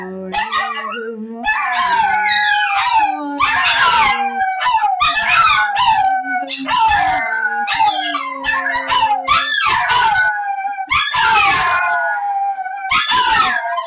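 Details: Three Shih Tzus, trained by their owner to sing "Good Morning" on cue, howl together in wavering, overlapping tones that rise and fall in bursts as they answer her singing.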